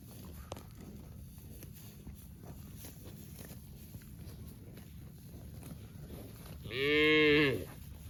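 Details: A cow eating grass lets out a single brief, nasal moo near the end, about three-quarters of a second long, after several seconds of steady low rustling and crunching noise.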